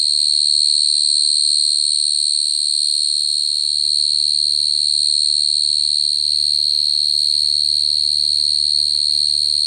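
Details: Unbroken shrill trilling from a cricket, a single sustained high note with a fine rapid pulse, steady in loudness throughout, faint low rumble beneath.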